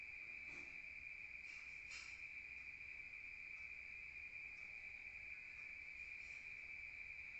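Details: Crickets at night in the countryside, a steady high continuous trill without pause, with a few faint brief clicks and rustles behind it.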